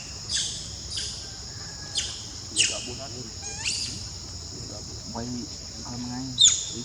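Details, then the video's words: Baby monkey crying for milk: short, high, sharp squeals that slide steeply downward, five or six in the first four seconds, then fainter lower calls, over a steady high insect drone. "Baby Monkey Cries for Milk"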